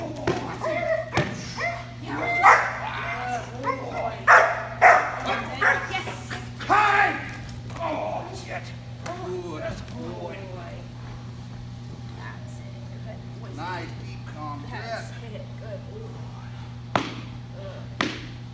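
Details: Eight-month-old German Shepherd named Zane during early protection training, urged on by a handler; a burst of deep barks and growls in the first half, fading into quieter sounds, with a man's voice giving praise and commands.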